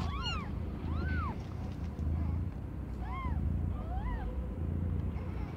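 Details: During the birth of five differently coloured kittens, young cat Aimee's litter scene carries four or five brief arching mews, rising then falling, spaced about a second apart, above a constant low hum.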